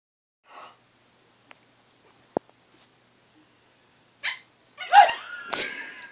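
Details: Pug puppy indoors; scattered quiet taps and clicks, then near the end a few short, high-pitched yipping barks close together, the last a little longer and fading.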